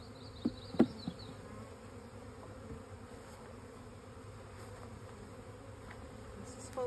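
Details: Western honey bee (Apis mellifera), wing buzzing.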